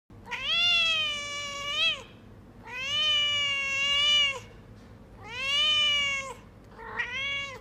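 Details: A grey Persian kitten (Felis catus) gives long, drawn-out meows, each rising slightly then falling at the end.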